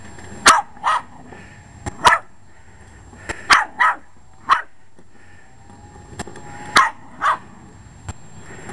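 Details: Short-legged male Jack Russell Terrier going after a disliked lawn mower: loud, sharp barks, often in quick pairs, with pauses of about a second, over steady engine hum and a few sharp clicks.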